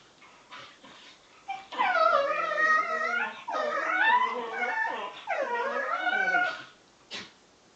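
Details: Two young Bedlington Terriers, Freddie aged 7 months and Lottie aged 10 months, making strange noises while playing together: long wavering whining moans, rising and falling in pitch, in three drawn-out bouts with short yips between.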